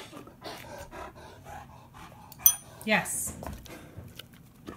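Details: Leonberger dogs practising ringing a bell with a Labrador and a person; quick rhythmic panting in soft bursts, then a loud bell ring and a rustling crash near three seconds, with faint speech.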